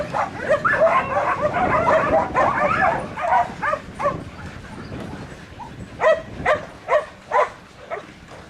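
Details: Bruiser, an 8-month-old Border Collie in training to work cattle inside a pen at Atoka, Oklahoma: a dense, noisy stretch gives way to four sharp, evenly spaced barks near the end.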